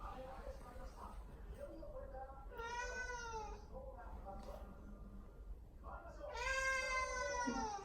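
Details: Indoor pet cat Mamedaifuku meowing as if appealing for something, her voice seemingly higher than it used to be; two drawn-out, clear harmonic meows about three seconds apart, the second louder, over a low room hum.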